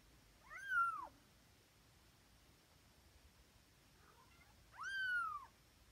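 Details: Tonkinese kittens from Lana's litter, twenty days old, waking up in the morning indoors: two high, thin meows about four seconds apart, each arching up and then sliding down, with near silence between them.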